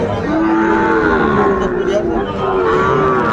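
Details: Cattle lowing at Ambari livestock market in Netrokona, Bangladesh, on 8 November 2024, where Sahiwal bulls are sold: drawn-out, steady harmonic moos with slight pitch glides, over a constant murmur of the market crowd.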